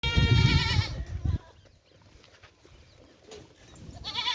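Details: Goat at a goat farm in Rajasthan, India: a loud harmonic, wavering bleat in the first second over low rumbling thumps, then quiet farm background and a second bleat starting near the end.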